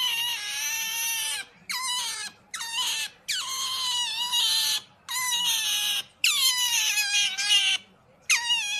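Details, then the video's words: Pet otter giving loud high-pitched squeals in repeated bursts of about one to one and a half seconds, each a harmonic-rich whine falling slightly in pitch, separated by short silences; a quiet indoor setting with no other clear sounds. "Pamper Funny Otters noise are so cute"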